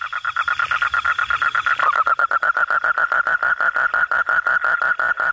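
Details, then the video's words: Frogs heard at night, starting softly under a thin high hiss, then swelling into a fast, rattling series of mid-pitched croaks, about six per second, with other callers overlapping. "suara kodok/suara katak/suara bangkong"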